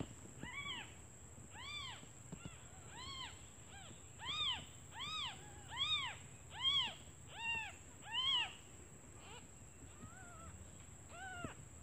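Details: Newborn kittens, left alone while their mother is out looking for food, call for her because they are hungry: short arched high mews, about one a second, some louder runs mid-clip, over a steady faint high whine.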